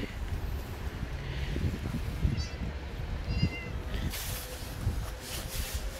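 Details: Hungry street cats climbing onto a lap; a couple of soft, thin meows in the middle, partly masked by low rumble, rustling and a burst of hissy noise later.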